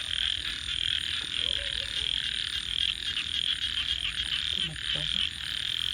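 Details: Frogs at night produce an unbroken high trilling chorus with rhythmic pulses, while faint low tonal sounds appear briefly in the middle and near the end.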